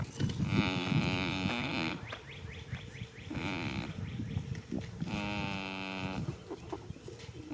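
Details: In a spring field, a goat sleeps and snores: three droning, humming exhalations spaced a few seconds apart, with rougher low rumbling and breathy noise between them.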